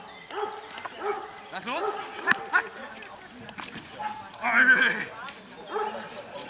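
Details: Don Quijote de la Arena, a Perro de Presa Canario working in Schutzhund training in Germany. Gives deep, resonant single barks roughly every second, the loudest near the end, with human talk in the background.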